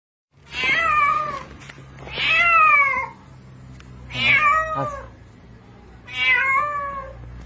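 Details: Cat calling for help while drowning, later rescued with a rope: four loud, drawn-out meows, each bending down in pitch, roughly every two seconds, with a faint low hum underneath and men shouting instructions afterwards.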